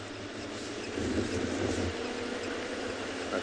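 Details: No animal sound is heard, only a steady vehicle engine rumble with broadband noise during an outdoor game drive.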